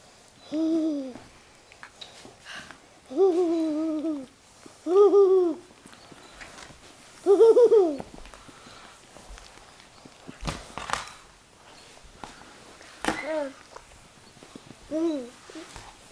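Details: Miniature Australian Shepherd puppies giving drawn-out, slightly wavering whines, each about a second long, in a loose series of about six with short pauses, with scattered clicks and knocks in between and a quiet indoor background.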